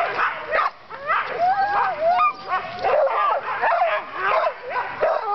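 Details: Dogs during dogsledding yelp and whine together in an excited din; a long, wavering whine stretches through the middle, surrounded by short sharp yips and barks with brief quieter gaps.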